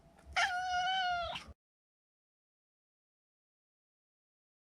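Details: A single drawn-out meow of about one second from Maro, a neutered male Maine Coon pet. The pitch stays flat, then the call cuts off into silence.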